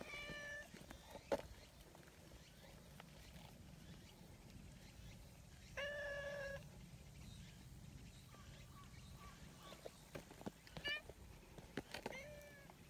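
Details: Community cats outdoors in Japan, a pale brown tabby running over to comfort a big black cat that had been scolded; several clear meows, one near the start, a longer one midway and more near the end, over faint background noise.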